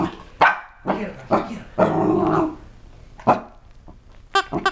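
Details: Seven-month-old Chihuahua and Cocker Spaniel mix, twelve pounds, reacting fearfully to a new toy: a few sharp barks and low growly sounds, interrupted by a person talking, with high-pitched squealing bursts near the end.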